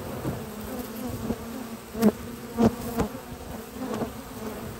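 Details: Honey bee foragers returning to the hive with pollen on a spring morning at a research lab; low droning hum broken by several sharp knocks and bursts of louder buzzing about once a second.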